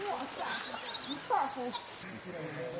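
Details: A wild group of golden snub-nosed monkeys in China squabbles: high, wavering squeals twist up and down for under two seconds over lower, rougher voices, then quiet, drawn-out tones close the short burst.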